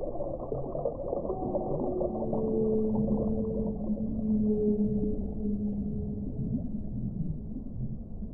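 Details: Whale song: long, steady tonal moans with a higher harmonic, held for several seconds in the middle of the clip, over a constant low, muffled rumble of water noise.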